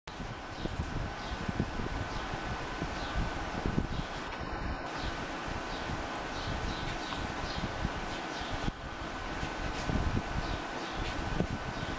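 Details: Steady outdoor rumble of wind and passing traffic, with a faint constant tone and rustling, and no animal voice.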